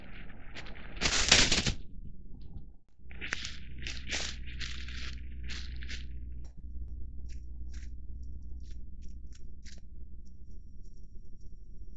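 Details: Loud scraping and crunching bursts over a low steady rumble, with no animal calls. Rough tearing and crackling noises come in uneven clusters, then fade to faint ticks.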